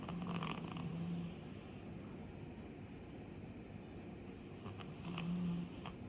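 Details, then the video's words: Chappy, a two-year-old female Labrador Retriever, snores loudly while asleep: low, rough, rumbling breaths in a steady stream, swelling louder at the start and again near the end. "2歳の女の子なのに パパに負けず劣らず大いびきのラブラドールレトリーバー"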